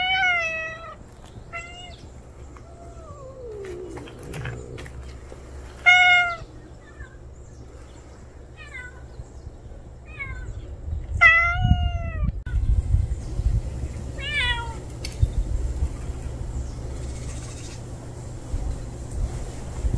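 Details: Unfamiliar male cat that has just turned up, giving a series of clear harmonic meows, some short and upturned, one long and falling, spaced every few seconds, over a steady low rumble that grows louder near the end.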